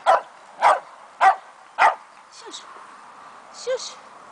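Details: Fox Terrier puppy named Keno, two months old, giving four sharp high yapping barks about every half second, then faint whines and a short squeaky yelp near the end.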